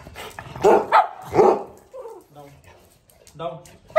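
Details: Micky, a very active male Pug, playing at home and recorded on an iPhone 13 Pro Max, gives two sharp barks in quick succession, followed by a person's voice repeating short commands like sit and down.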